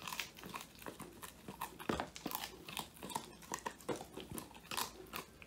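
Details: Male Old English Sheepdog Woody eats his first-ever treat, a whole quail, filmed by phone: sharp bone-crunching snaps in quick succession, nearly three per second, with wet chewing between them.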